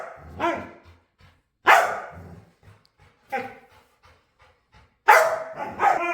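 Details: Playful dog begging to play barks in short, sharp, separate bursts, roughly one every one to two seconds, with near-silence in between and a doubled bark at the end.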